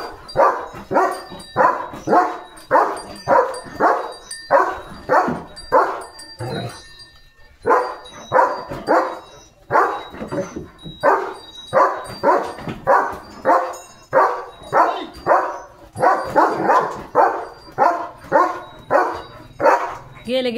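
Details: Leo, a German Shepherd dog, barks steadily as cattle pass. A continuous series of strong, sharp barks comes nearly twice a second for twenty seconds, with faint tonal background music.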